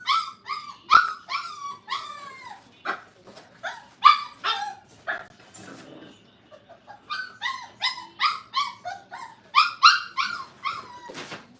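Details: Brittany puppies, five weeks old and crated, giving rapid high yips and short whining barks in irregular volleys. A pause falls near the middle before another fast run of sharp yelps.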